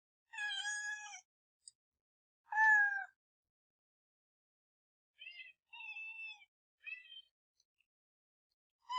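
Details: Young house cat meowing, two strong drawn mews followed by several quieter, higher, shorter calls after a pause, with little else audible.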